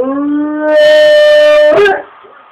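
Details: A dog named Rommel howls one long, steady tone. It starts low, steps up to a higher held pitch for about a second, then breaks off in a short, rough burst and fades.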